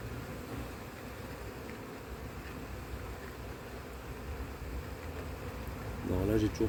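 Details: Honey bees swarming over a comb with no eggs and no queen found, in a split suspected of becoming drone-laying after cold weather; even low buzzing hum, briefly louder near the end with a voice.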